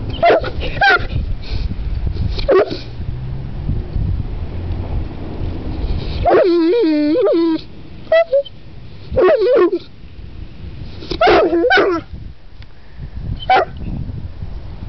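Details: King Kong, a Saint Bernard, "talking" in short bursts of whining, groaning vocal sounds. A longer wavering, moaning note comes midway, and quieter breathy gaps fall between the outbursts.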